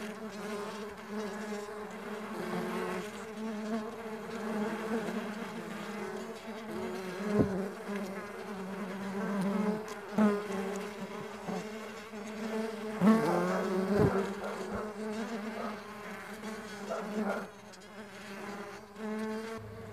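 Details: A swarm of stingless bees on a bee farm keeps up a dense low buzzing for twenty seconds, the hum wavering as individual insects pass closer, with a few faint knocks.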